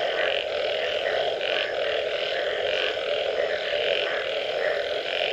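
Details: Post-rain frog calls fill the air as an even, humming mass of sound, with brighter throbbing notes repeating about every second over a steady low drone from many overlapping callers.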